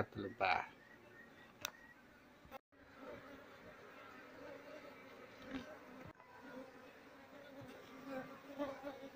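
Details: Swarm of wild Asian honey bees (Apis cerana) during transfer from a speaker box to a hive box, queen being searched for; quiet, even droning hum with a brief crackle and tap at the start.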